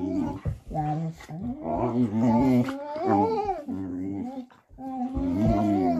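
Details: Vizsla "talking" with continuous grumbling, growly moans that bend up and down in pitch, broken by brief pauses, sounding like a drawn-out vocal complaint.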